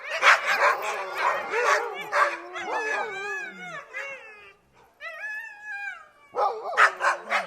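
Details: Several dogs at a gate, a burst of rapid harsh barks giving way to long wavering howls and whines, a short pause, then barking resumes loudly.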